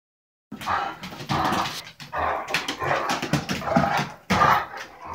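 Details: Two big dogs, a six-month-old Irish Wolfhound and a five-year-old Anatolian Shepherd, wrestling in a kitchen. Loud rough growls and snarls come in bursts of about a second, with short breaks between them.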